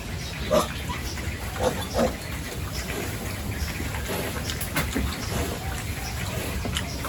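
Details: During a morning feeding and cleaning routine on a rural pig farm, pigs give a few short, low grunts early on, then go quieter over a steady hiss of farm noise.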